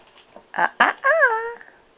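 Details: Five-week-old puppies at playtime indoors: two short, rough yaps, then a half-second whine that rises slightly and slides down.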